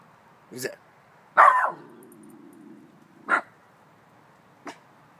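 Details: A Chihuahua mix puppy gives short, yappy, high barks, one loud burst and then softer ones a second or two apart. It is barking at what the owner calls a ghost while a person keeps asking "who's that?"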